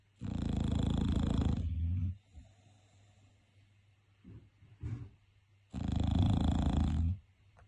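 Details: A bulldog's heavy snoring: two long, rough, rattling snores nearly two seconds each, separated by quiet gaps with small snuffling snorts and faint breathing.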